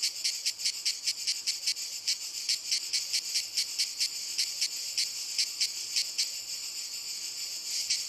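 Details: Walnut-tree cicadas in full song: shrill continuous buzzing chopped into fast pulses, a couple per second, steady loudness throughout, with a faint high whine appearing toward the end.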